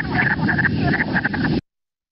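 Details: A chorus of wood frogs in early spring in Minnesota, recorded 4/23/20, giving rapid, throaty, duck-like quacking clucks, several overlapping in quick succession over a low rumbling background.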